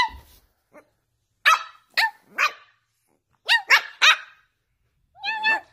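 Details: Angry female Boston Terrier puppy reacting to her owner barking at her: a faint yip, then clusters of sharp, high barks, three in a row, then a final drawn-out bark.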